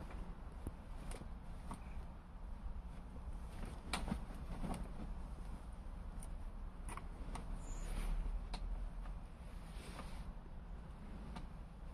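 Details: Outdoor rumble and wind with scattered knocks and clattering on garden furniture, and no animal voice.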